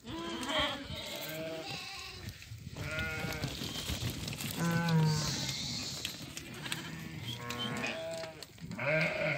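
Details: Ewes and lambs offered for sale in Doukkala, a flock of 50 ewes that have all lambed, with 25 female and 25 male lambs; overlapping wavering, harmonic bleats from several animals, with men talking close by throughout.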